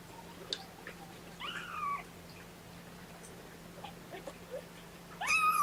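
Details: Kitten of Mama Seraphina's litter of four, meowing in protest at being pottied before its weigh-in on 2018-10-01, indoors: a wavering, slightly falling meow near the start, then a louder, higher, strained meow at the end.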